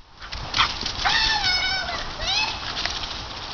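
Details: Ten-month-old pet Airedale Terrier giving high, thin whining calls, a longer wavering whine followed by a shorter rising one, over steady background hiss.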